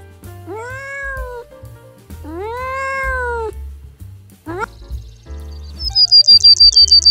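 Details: Domestic cat giving two drawn-out meows, each rising then falling over about a second, with soft music underneath, then a quick sliding note and a burst of rapid high chirping near the end.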